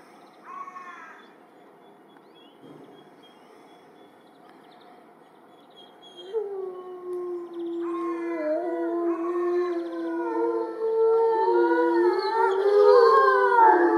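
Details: Timber wolves in a zoo enclosure howl together from a raised platform. After a short early call and a quiet stretch, several overlapping voices build from about six seconds into a swelling chorus of long rising and falling howls, growing louder and siren-like.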